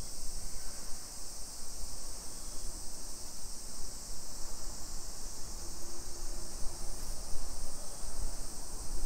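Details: Summer cicadas buzzing continuously in a hillside neighborhood of Nisshin, Aichi Prefecture, Japan, 1 PM, 28 July 2021; the high hiss holds steady throughout, over a bed of low rumbling noise from the walk.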